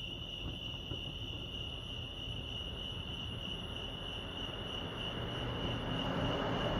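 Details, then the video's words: Crickets at Lake Arrowhead, California, keep up an unbroken high-pitched ringing trill, while a low, noisy rumble underneath grows gradually louder over the last second or so. "crickets chirping"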